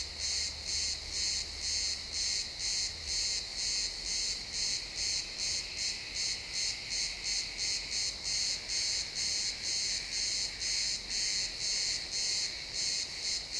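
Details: Crickets chirping in a pine forest at sunset, captured with an XY stereo pair: steady, high-pitched pulsed chirps about twice per second, continuous through the stretch, with a faint low rumble in the opening seconds.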